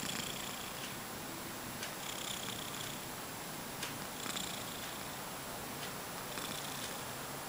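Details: A sleeping cat snoring, with soft, breathy, hiss-like exhalations repeating every second or two over a steady low hiss, quiet and indoors.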